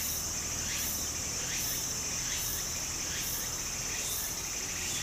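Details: In summer by a Japanese stream, cicadas produce a sizzling, rhythmic song, swelling in surges a little under a second apart above a constant shrill tone, backed by the even rush of running water.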